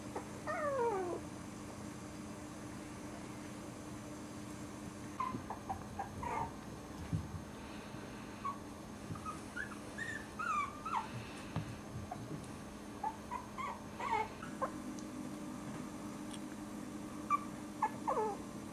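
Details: Five four-week-old Cairn Terrier puppies give high, thin whimpers and short squeaky whines over a steady low hum.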